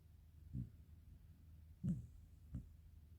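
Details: A black Shiba Inu named Karin, just sleeping, gives a restrained, quiet snore: three soft, low rumbling breaths spaced unevenly over about three seconds in a quiet small room.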